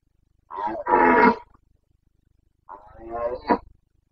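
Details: Rutting Carpathian red deer stag in Bucovina, breeding season: two deep, throaty roars, the first long and strong, the second a rougher bellow ending in a sharp grunt.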